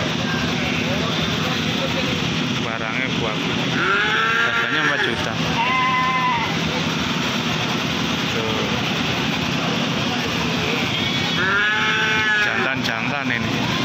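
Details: Male goats offered for sale in Malang, Indonesia, giving wavering, quavering bleats around the four- and six-second marks and again near twelve seconds, over steady loud background noise and a man talking.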